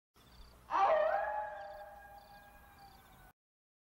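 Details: Coyote on the Montana prairie, one of several calling unusually close, gives a long, steady howl that swells suddenly, then slowly fades on a level, slightly falling pitch.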